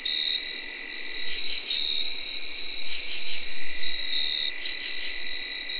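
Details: Steady high whir of tree crickets in early October 2021, joined by brief raspy pulse trains and rapid chirps from field crickets and katydids repeating about four times a second.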